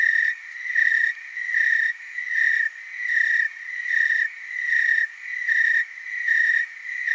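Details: Tree cricket chorus in the Willamette Valley, Oregon: a continuous high musical trill with pulses swelling and fading in waves roughly every 0.8 seconds, several insects overlapping, faint overtones above, no other sounds.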